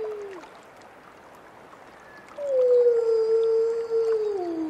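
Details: Wolf howl: a short falling tail, a quiet pause, then a loud sustained howl that holds level for nearly two seconds before dipping down at the close, with faint high ringing above.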